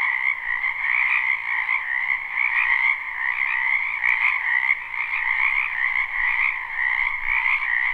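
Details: Loud live chorus of frogs croaking in a wetland during spring: a constant wall of buzzy, vibrating trills, with individual callers rising briefly above the mass and a near-steady overall volume.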